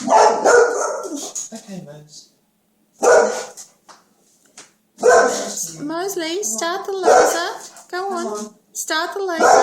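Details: Boxer dog indoors, upset and barking when a laser toy machine stops; loud, sharp barks come in bursts about every two seconds, mixed with a man's voice praising another dog, saying good boy, for restarting the laser.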